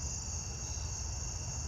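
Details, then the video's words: At night in a garden, the usual Carolina ground cricket gives a steady, high, buzzy trill over a low background rumble. "Sounds like the usual Carolina ground cricket."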